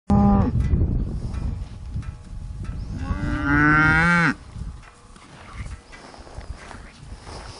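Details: Hereford bull LBH 40W Ribstone 171A out in the breeding pasture, summer 2015; a short low lowing opens, then a loud drawn-out moo rises and holds for over a second before cutting off, with outdoor rustling after.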